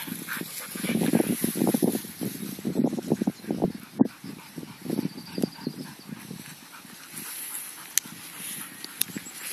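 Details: Alaskan Malamute sled dogs running free off-leash outdoors in summer; a bursty run of short, low, throaty grunting woofs and whimpers in irregular clusters, louder at first then tapering, with rustling movement in between.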